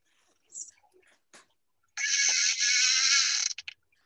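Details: Beluga whale (Delphinapterus leucas) contact call, used to keep the group together and for mother-calf contact: a harsh, buzzy pulse train like a creaking door or chainsaw.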